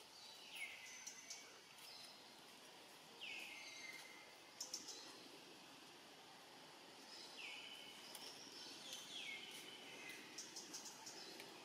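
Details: Young monkey, alone and hungry, calling for its family: a high whistled note sliding down and trailing off in a long flat tail, given three times several seconds apart, with faint clicks and outdoor background noise.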